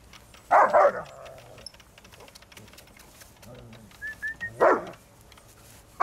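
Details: Two German Shepherds, Malfred and Mennard, attacking a moving lawnmower; two loud harsh barks, one near the start and one near the end, with a few faint yelps between and low background noise.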